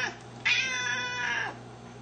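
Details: A hungry Siamese cat indoors, one of a household pair (a four-year-old seal point male and a two-year-old blue-lilac point female), gives a single long, drawn-out meow that swells and then fades over about a second.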